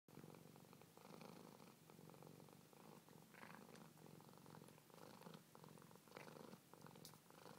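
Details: Siamese cat purring while nursing on a golden retriever; a steady, low, rumbling purr with fine rhythmic pulsing that runs through the whole recording, with brief soft rustles on top.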